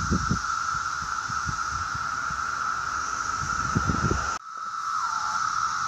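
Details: Brood X periodical (17-year) cicadas emerging in 2021 in the mid-Atlantic region between Maryland and New York fill the air with a steady, unbroken droning whine, with low rumbles and thumps beneath.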